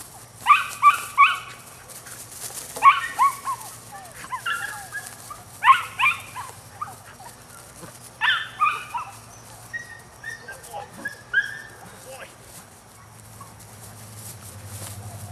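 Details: Nine-week-old male puppy of the Rodin and Katana litter yipping in short bursts of two to four high, sharp notes, pausing between clusters, with quieter whines trailing off toward the end over a constant low hum.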